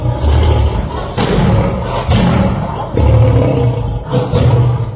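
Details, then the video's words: Lion roaring: a series of deep, heavy, low-pitched grunting bursts, each about a second long with brief breaks between, strong and booming throughout, with nothing else clearly heard. "Lion Roar"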